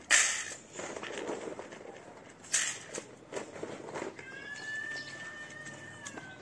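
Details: Feral street cats, one shy female coming up to sniff the camera: soft knocks and rustles, then a long, steady, drawn-out mew holding one pitch for about two seconds.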